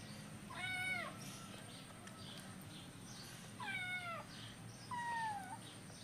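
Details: Hungry kittens at breakfast time: three fairly quiet meows spaced a few seconds apart, the last one a falling, level cry, with faint indoor background noise.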